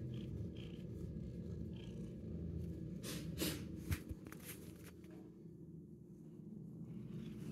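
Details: Shelter cat, ten months old and fond of attention, purring in a small room: continuous low pulsing rumble with soft handling rustles and a couple of faint knocks midway.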